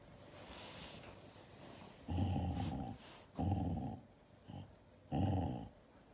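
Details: Siberian Husky growling in anger at being hugged: three deep, rumbling growls of under a second each, separated by short pauses, following a quiet opening second.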